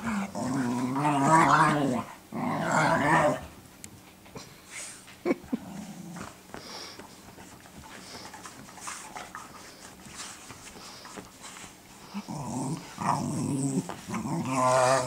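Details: Two pet dogs, Cooper and Sophie, barking at each other indoors on 12 6 2014, Sophie teaching Cooper to be a guard dog; harsh, harmonic growling barks in bursts at the start and end, a quieter stretch between.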